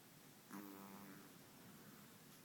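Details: Walter, a five-month-old long-haired Chihuahua, gives a single nasal snore lasting about half a second, a buzzy, droning breath in a quiet room.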